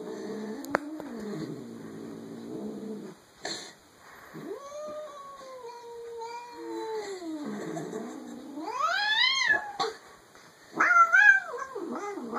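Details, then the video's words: Rogue, a pet cat, making funny noises at home: low grumbling moans, then long drawn-out wavering yowls that rise and fall, ending in a sharp rising howl. "Rogue the hellcat making funny noises"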